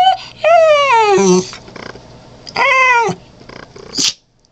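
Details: Honey, a wheat-colored female Cairn Terrier, talks up a storm: two long whining, wavering vocalizations that slide downward in pitch, each about a second, with a short sneeze near the end.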